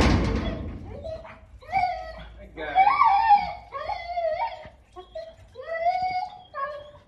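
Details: Domestic dogs greeting their owner on his return home, giving a series of tonal, wavering whines and short howls in uneven bursts, some rising and then falling, after a brief noisy start indoors.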